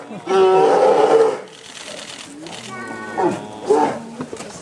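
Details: Two male twin polar bears at Obihiro Zoo in Japan, one threatening the other to keep it from a yellow tube, winter morning 2010: one strong, raspy roar lasting about a second, then softer huffing growls and snorts.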